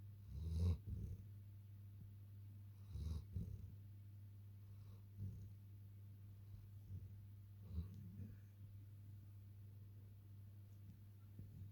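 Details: Long-coated German Shepherd puppy asleep and snoring: soft, low, breathy snores roughly every two to three seconds, some louder than others, over a steady low hum.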